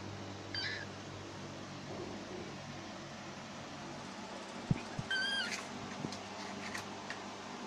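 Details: A lone female mona monkey (Cercopithecus mona) gives two brief, high, mewing contact calls over a low indoor hum, calling for company while alone.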